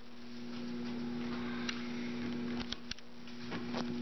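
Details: A steady electrical hum fills a quiet indoor room, broken by a few sharp clicks or taps, with no animal voice.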